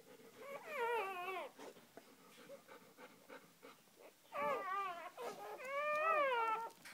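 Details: Mother dog just after giving birth, with her first three newborn puppies; high wavering whines and cries, rising then falling in pitch, in two or three bursts over several seconds, with soft rustling between.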